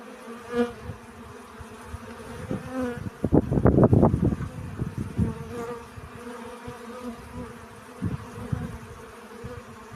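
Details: Honey bees gathering pollen: layered droning buzz with a burst of louder, close wingbeat hum in the middle, several bees passing near and fading, stacked harmonics over a steady background drone.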